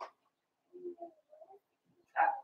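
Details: Four-week-old Cavalier King Charles Spaniel puppies from Daisy's litter in their pen: soft, low whimpers and small murmurs, then a louder, brighter yelp near the end.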